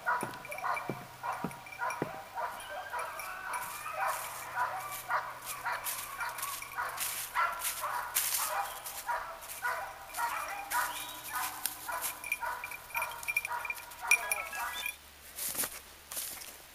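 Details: Two English Cocker Spaniels, experienced Yatagan z Blatova and young Easy vom Krebsbachtal, hunting pheasant together for the first time on 29 November 2011. Rapid, continuous yapping about twice per second over dense crackling undergrowth noise and a low hum.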